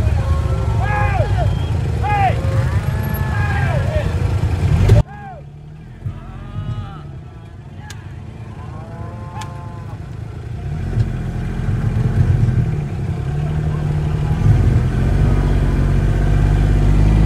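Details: Angus bulls fighting; drawn-out, wavering bellows and moans rise and fall through the first five seconds, then return more faintly, over a heavy, continuous low rumble that persists to the end.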